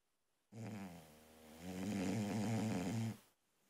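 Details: Sleeping female Boxer puppy snores loud enough to wake her owner; a single drawn-out, buzzing nasal snore lasting under three seconds, quieter at first then swelling louder before cutting off into a quiet room.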